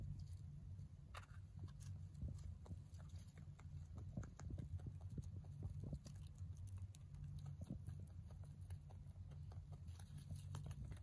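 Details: A young male mini rabbit munches hay, giving a steady run of soft, crunchy chewing clicks over a low rumble.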